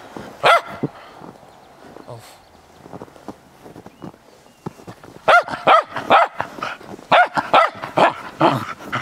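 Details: Playful Cairn Terrier in snow: one early sharp bark, a quieter pause, then a rapid string of yappy barks roughly twice per second.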